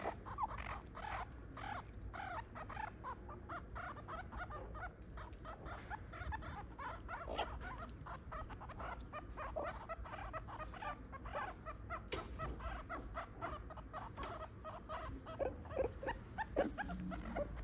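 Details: A zoo meerkat family, mother, father and aunt with young pups in a small mammal house, gives a steady stream of short, clucking squeaks and chirps over a low background hum.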